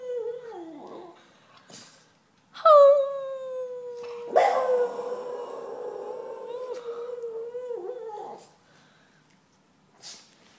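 A Boston terrier gives a long, wavering, tonal howl that slides gently downward before trailing off.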